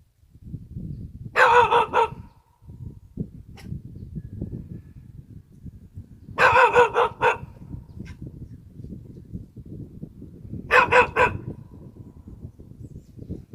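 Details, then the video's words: A rural Korean mixed dog gives three clusters of loud, hoarse barks, each cluster a quick run of three or four woofs, spaced about four and a half seconds apart over a soft, constant outdoor rumble. "시골개 짖는 소리ㅣ시고르자브종 ㅣKorean Country Dog"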